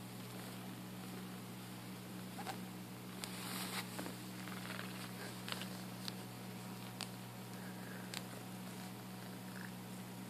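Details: Purring from one of two pet cats, Felix and Luna: a soft, steady low rumble running throughout, with a few faint rustles and clicks above it.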